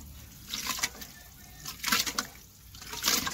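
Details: At a pig farm in Assam, India, water splashes and trickles in irregular bursts over a low background hum, with no animal calls.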